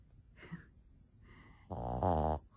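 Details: Fourteen-year-old female Shih Tzu sleeping soundly indoors by day, loud snorer: one deep, rasping snore of under a second, rich and buzzy, following a few faint soft sounds.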